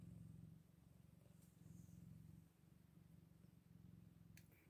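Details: Scottish Fold kittens, eight days old; a deep, buzzing purr comes in rhythmic bursts of about a second each, fading slightly between them, with one sharp click near the end.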